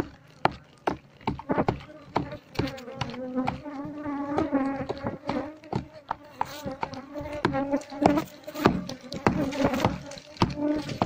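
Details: Wild Asian honey bee colony nesting under a septic tank, disturbed as the tank is holed and the bees moved to a culture box; a steady low droning buzz runs throughout, mixed with repeated knocking and men talking.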